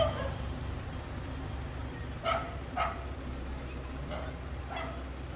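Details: Street dog barking several times in a brief sequence, the loudest two yaps close together and fainter ones following, against constant low background traffic hum.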